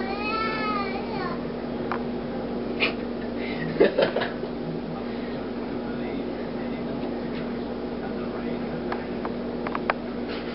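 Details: Annoyed at hands being used on him, Ming, a heavy 15-pound black house cat, opens with a brief, rising-then-falling harmonic meow, followed by soft human voices, clicks and a constant low electrical hum.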